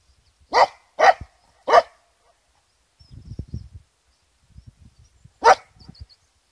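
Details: On the Isle of Skye at the Quiraing, an American cocker spaniel fires three quick sharp barks, then a single one after a pause, reacting to its echo from the rock walls; faint low wind noise.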